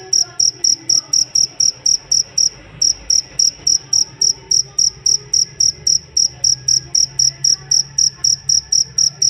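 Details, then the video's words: Cricket used as a songbird master sound gives bright, high chirp pulses near four per second, broken by one short gap early on, then resuming steadily; faint low hum underneath. "Benar benar merdu ngerik nya sang masteran burung kicau"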